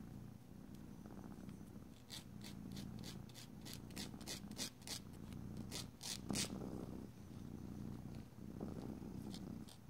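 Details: Cat purring calmly while its claws are filed indoors; low rumbling purr in breath-length waves, broken by a run of quick scratchy nail-file strokes through the middle.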